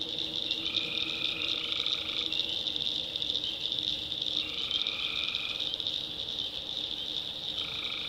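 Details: Night chorus of tree frogs in North Carolina backwoods swamp: an unbroken shrill wall of sound with four separate droning notes of roughly a second each, spaced a few seconds apart.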